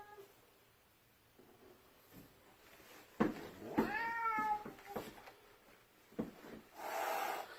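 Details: Cat staring at its owner while blocking the stairs: sharp clicks and thumps, then a drawn, wavering meow around four seconds, followed by softer knocks and a brief noisy burst near the end.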